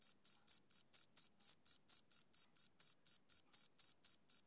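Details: Male cricket on a summer evening, chirping in short, even, high-pitched pulses of about four per second, each a clean shrill tick with a fainter upper overtone; about seventeen chirps, with nothing else audible.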